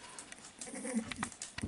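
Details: Female Staffordshire bull terrier puppy Koko, five weeks old, of the Staffordland kennel's 32nd litter, playing with toys on 2 June 2018; a brief rising nasal whine with a short bleat-like squeal, followed by quick clicks and handling noise.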